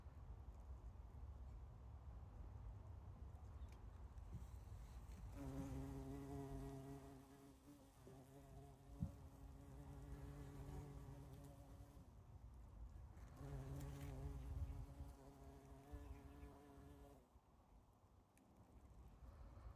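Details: Bumblebee among spring flowers; two steady droning hums of several seconds each, strong low tone with stacked overtones, rising and fading as the bee passes, with quieter gaps between.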